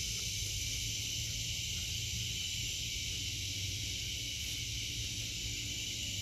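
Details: Cicadas sing through a vegetable garden in August 2023, their shrill electric buzz flat and constant across the whole stretch, with a soft low rumble beneath.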